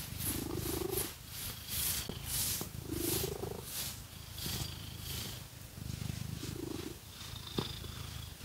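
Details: House cat purring as fake nails scratch its coat; a deep, steady rumble swells in short bursts roughly every one and a half seconds, over crisp scratching sounds and occasional clicks.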